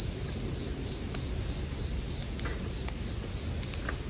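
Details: Bell crickets sing a steady, high, ringing tone that runs without pause, set against sharp crackles and pops from a campfire and a soft low rumble underneath.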